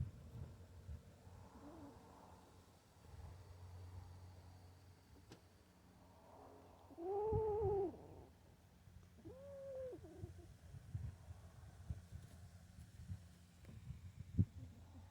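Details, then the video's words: Kitten holding a mouse growls at other kittens; quiet low rumbling, then two drawn-out wavering yowls that rise and fall, the first louder and longer, the second shorter, in a small quiet room. "Kitten with mouse growls at other kittens."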